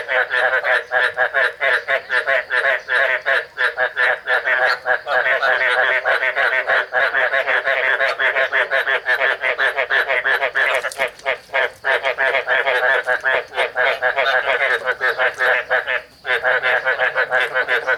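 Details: Male Chinese edible frogs (Hoplobatrachus rugulosus) call in a steady chorus of rapid, throaty, pulsed croaks to attract females during breeding, as a female is expected to release eggs.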